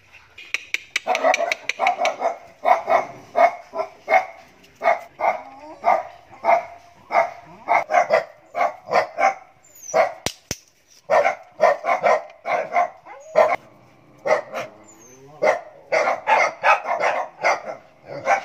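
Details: Eight pet dogs, two Vietnamese native dogs and six Japanese dogs including puppies, bark together in a dense, overlapping chorus of sharp, high yaps that repeat several times a second, with one brief lull around the middle.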